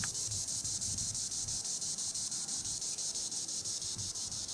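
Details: Loud, clearly throbbing buzz of a green annual cicada (Tibicen linnei) in the treetops, its high hissing tone beating about three times each second without pause.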